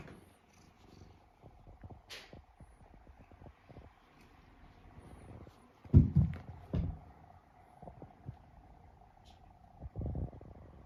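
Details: A three-year-old rescued house cat purring and snoring while asleep and kneading the air. A soft, low rumbling purr runs throughout, with louder snuffling bursts around the middle and near the end, and a faint steady hum behind.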